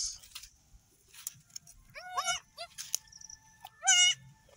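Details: Newborn goat kids, three females just delivered on an off-grid homestead, bleating while finding the teats to suckle; short quavering bleats with rising harmonics, with faint background noise.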